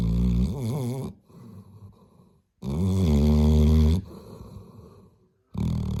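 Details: Labrador Retriever snoring loudly, each long harmonic rasping breath lasting about a second, with quieter wheezy exhales between and roughly three snores heard in six seconds.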